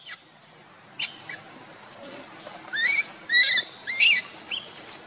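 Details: Monkeys: Luna runs fast carrying the baby Luno while Rainbow tries to take Luno from her. High, rising harmonic squeals come in short bursts, three or four close together in the second half, over quiet background hiss.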